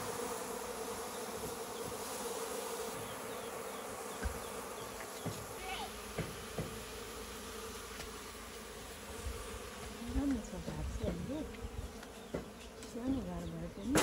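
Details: Local honey bees kept in a hive inside a goat shed on a farm, a steady low droning hum running throughout with faint, brief higher buzzes, while a person talks quietly in the background.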